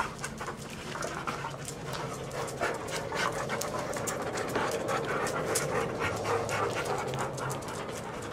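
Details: Big dog from a large family household, with a Siberian Husky, a golden mutt and a spotted dog among them, panting in rapid breathy puffs about three to four per second over a steady low hum.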